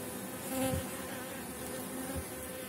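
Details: Swarming honey bees all around an opened hive at season's end, the colony strong and kept on 4.9 mm comb; a thick, even droning hum with a brief louder bee passing close early on.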